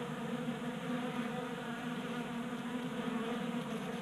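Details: A crowd of honey bees at a 3D printed bee feeder in a Colorado garage, active in 60-degree January weather; constant rich humming buzz, slightly pulsing in loudness, with no other sounds.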